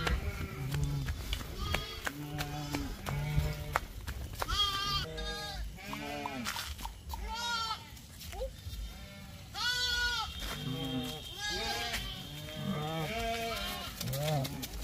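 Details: Lamb playing with a child, giving a run of short and longer wavering bleats, several close together mid-way, amid a child's voice and faint background music.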